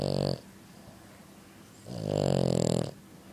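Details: French Bulldog snoring extremely loud in its sleep: a short rasping snore cut off early, then after a pause a long, gravelly, vibrating snore lasting about a second.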